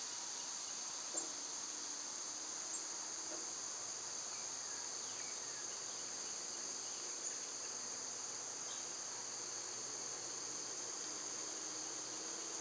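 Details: Summer cicada chorus, loud at this time of year, a continuous high whining buzz in two steady bands. Faint sliding bird whistles and a few soft ticks drift in the background.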